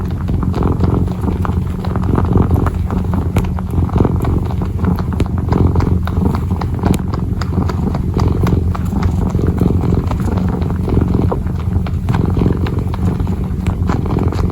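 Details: Kitten purring while kneading: a steady, deep, continuous rumbling purr with dense soft scratchy ticks and rustles from the paws working throughout.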